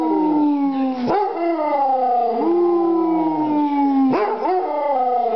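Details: Molly, a Basset Hound, gives a continuous mournful howl that slides gently downward, with two sharp breaks where the voice cracks before the tone resumes.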